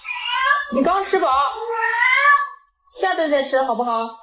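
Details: Domestic cat giving two long, whining meows, the first stretched over more than two seconds and bending in pitch, the second shorter and falling after a brief pause.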